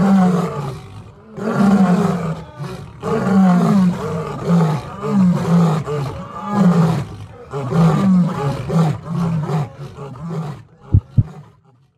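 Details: Three rescued lions at the Al Ma'wa for Nature and Wildlife sanctuary roar together in a deep, rumbling chorus of repeated moaning bursts.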